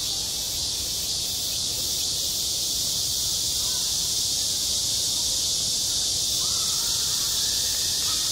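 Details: Cicadas singing on a school playground in midsummer: a dense, steady, high-pitched buzzing wall of sound that never breaks, with a few faint short whistled notes low in the background near the end.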